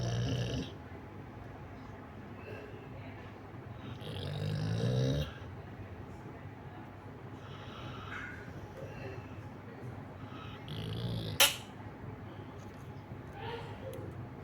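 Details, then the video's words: Pet Labrador Retriever snoring indoors: rough, low breathy snores with one longer swelling snore around the middle, a sharp click partway through, and faint background hum. "The snoring pet lab"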